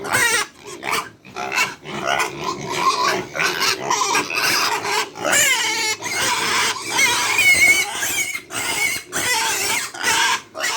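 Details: Hungry farm pigs at feeding time give a continuous chorus of shrill squeals and grunts, rapid and overlapping, with some higher wavering squeals near the end.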